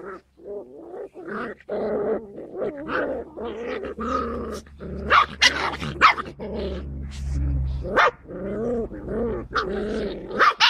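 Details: Skye Terrier puppies filmed 5 June 2016, a continuous run of harmonic growling yaps and squeaky yips, overlapping and uneven, with short high clicks and scuffles between them and a low hum near the end.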